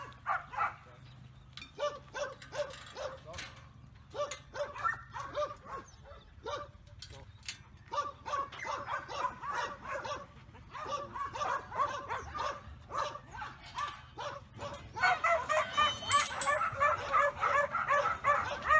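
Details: Cobber, a two-year-old black and tan Kelpie yard dog offered at the Wagga Yard Dog Club auction, May 2019, trained to bark on command; quick runs of sharp barks roughly three per second, growing louder and busier near the end.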